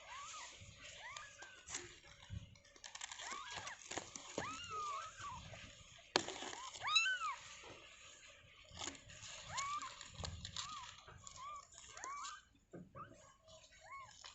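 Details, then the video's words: Just-born kittens in their enclosure mew repeatedly, high arched cries rising then dropping, several overlapping in quick bursts with short pauses, over faint rustling and a low background hum. "Anak Kucing Baru Lahir"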